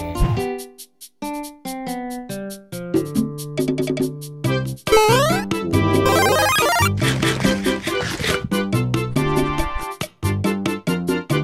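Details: Playful synthesizer and keyboard music with quick staccato notes and sweeping glides, and no animal sounds.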